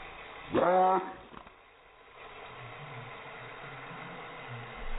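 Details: Chihuahua barking in reaction to helicopters: one loud, rich, arched yelping bark near the start, then a faint short follow-up and a steady low background hum for the rest.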